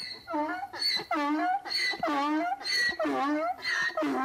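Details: Donkey braying in a rapid see-saw rhythm, rich harmonic tones alternating between higher wheezing notes and lower honks, about seven pulses in four seconds with brief gaps, no other clear sounds.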